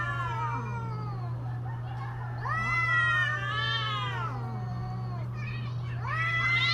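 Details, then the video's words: Mating-season cats wailing, overlapping long wavering yowls that swell higher and sink into low groans, one call following another almost without pause, against a steady low hum. "creepy Cats Talking"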